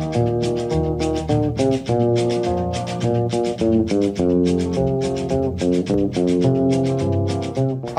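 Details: Steady band music with plucked guitar and bass; no animal sounds.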